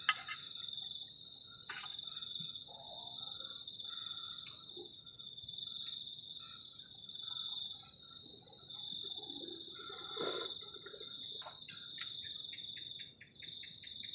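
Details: Crickets on a cold night at the edge of a forest, heard from a garden shelter while camping: a steady, dense, high-pitched pulsing trill in several layers, with scattered clicks, taps and faint low rustling from camp activity.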